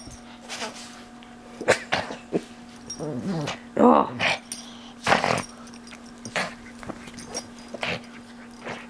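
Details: Pet pug mauling his stuffed toys, making enthusiastic noises: short snorting and growly bursts, some with wavering whimper-like tones, over a steady low electrical hum; a person speaks now and then.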